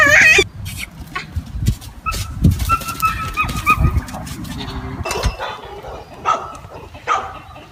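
Goats bleat in short, wavering, nasal calls over clattering and thumping noises.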